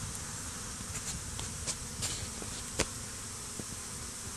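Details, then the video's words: Honey bees swarming over a stump beside beehives, some fighting, days after a small swarm was combined with a red-topped hive. A dense, steady insect hum fills the clip, with brief sharper buzzes as individual bees fly close past. "Bee War: Battle of the Stump"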